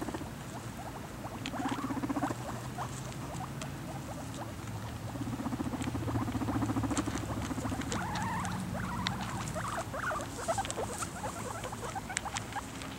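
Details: Guinea pigs eating, with busy irregular crunching and clicking bites that grow louder mid-way. Short squeaky wavering tones appear briefly over a constant low hum.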